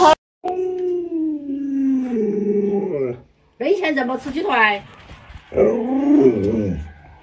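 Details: Pet Alaskan Malamute Luoluo reacts to its masked owner with a sustained, slowly falling howl lasting about three seconds, followed by overlapping human chatter and a shorter moaning vocalisation.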